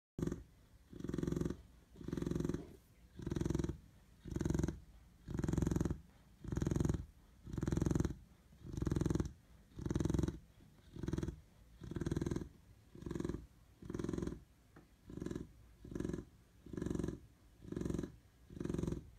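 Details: Chow Chow puppy breathing in steady, rhythmic snore-like rumbles, low purring bursts roughly once per second separated by brief quiet gaps, nothing else audible.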